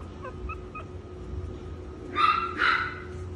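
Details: Chihuahua puppy offered for sale, whimpering: a few faint, thin, high whines early on, then two louder, drawn-out nasal whimpers close together near the end, over a low steady indoor hum.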